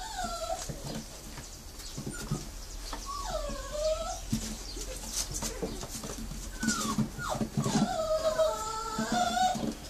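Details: Litter of Brazilian Terrier (Fox Paulistinha) puppies at a kennel in Joinville, Santa Catarina, Brazil, whining in overlapping high, wavering whimpers that rise and fall in pitch, several calls every second, with soft rustling and shuffling indoors.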